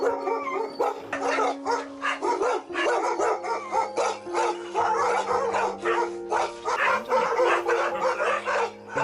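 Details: Dogs caged in large numbers on a dog farm barking in a loud chorus, short sharp barks bursting in quick, irregular succession, with sustained background music notes running underneath.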